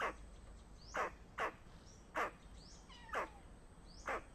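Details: Squirrel sounding the alarm against danger, sharp descending barks roughly once a second, irregularly spaced, with a faint wavering high note in between, over soft outdoor hiss.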